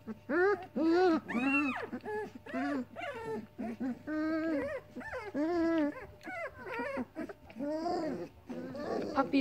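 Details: A litter of seven Weimaraner puppies, four female and three male, whine and moan in overlapping, rising-and-falling cries because they are hungry and their mother won't feed them.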